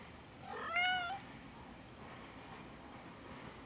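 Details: Six-week-old Egyptian Mau kitten giving one loud, clear mew lasting about half a second, a level, rich harmonic cry that dips slightly at the end, followed by quiet room noise.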